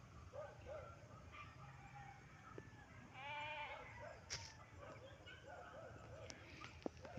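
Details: Farm goats being put into their pen on a cloudy afternoon with light drizzle; a few short wavering bleats, one clearer quavering bleat midway, amid clicks and low background rumble.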